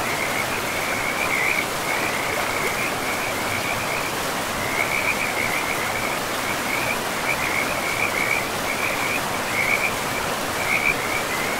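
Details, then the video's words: Riverside frogs in a moss-covered forest: repeated grating trilled calls come in bursts every second or so, some louder and closer, over continuous water hiss. "River and Frogs sleep sounds"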